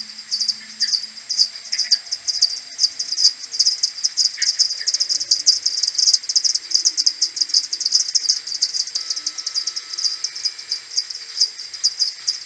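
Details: A maternity colony of common pipistrelles returning to roost in the morning, 21 May, slowed by ten on an AudioMoth: thick, continuous high-pitched ticking and chirping from many bats at once, with brief faint lower tones.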